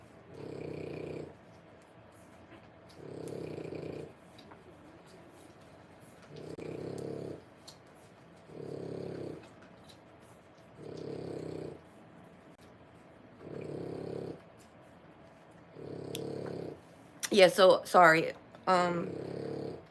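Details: French Bulldog puppies three weeks old, born 1/10/25, make a steady run of short snuffling snores, one every two seconds or so, before a burst of human speech near the end.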